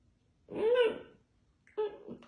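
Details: Bored Basset Hound puppy rolling and barking indoors: one drawn-out, arched, howl-like bark lasting half a second, then a shorter second bark after a pause.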